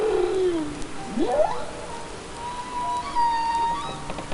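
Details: Humpback whale (Megaptera novaeangliae), song: helps attract mates.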